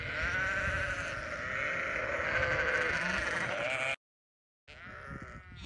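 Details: Several sheep bleating in long wavering notes, one after another, broken by a brief silent gap, then another bleat resumes.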